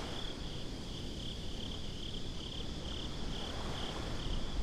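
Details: Crickets at the beach at night, binaural recording: a steady high chirping band pulses in a regular rhythm, about two pulses a second, above a heavy continuous low rumbling noise.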